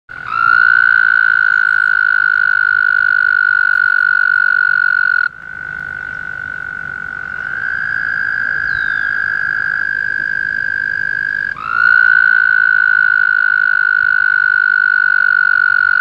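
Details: Frogs calling during early May mating season in a pond near Woodstock, New York; long, steady, high trills lasting several seconds each, one caller fading as another starts, with overlapping trills and faint low background rumble.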